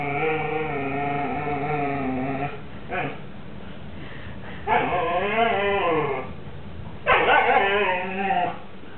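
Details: Siberian Husky pair, 18 September 2007: Mau Mau guards a lamb bone as Hugo pleads for a share. A long, wavering husky 'woo' opens, followed by louder arching, yodel-like cries that climb and dip, with brief pauses between.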